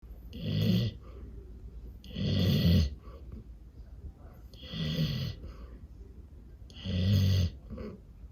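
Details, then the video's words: A Golden Retriever sleeping under a table, against a table leg or pillow, snores in low, rumbling breaths loud enough to be mistaken for a chainsaw, each under a second, about every two seconds. "Fluffy Golden Retriever Snoring Against Table Leg / Pillow"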